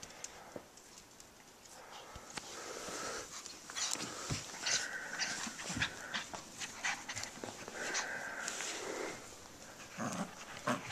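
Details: A 1-year-old Jack Russell Terrier × Shih Tzu mix gives short, yappy barks mixed with panting and whiny, nasal sounds.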